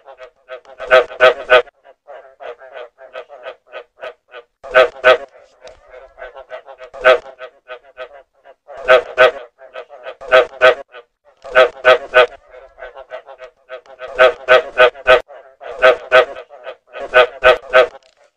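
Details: Sustained frog calling recorded for luring frogs: repeated bursts of several harsh, resonant croaks come every one to two seconds over a continuous bed of fainter, rapid pulsing.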